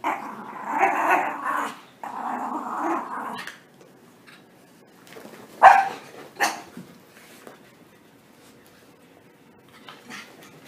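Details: Puppies playing roughly after their bath, giving rasping growls and play barks for the first few seconds, followed by quieter scuffling and thumps.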